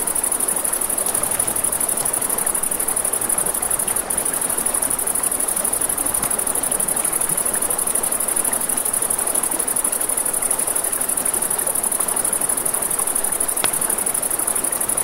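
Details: Night crickets by a river give a continuous shrill trill at one high pitch, nearly unbroken, while broad river rush fills the background and a few scattered campfire crackles stand out.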